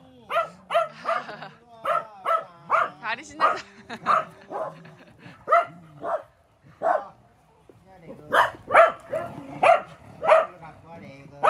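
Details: Sharp, high yips and barks from Welsh Corgi brothers in an eight-corgi home come in a steady string, pause briefly near the middle, then resume louder and faster.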